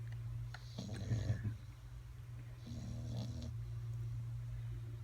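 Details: Bulldog snoring indoors, two rough rasping breaths a couple of seconds apart over a steady low hum.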